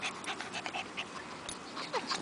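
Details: Oscar, a Pekingese dog from RAPS No Kill Shelter, resting on a picnic table in park shade in Richmond, BC, Canada, during a July 19, 2010 heat wave; quick, breathy panting bursts in a steady run, with a few faint high chirps behind.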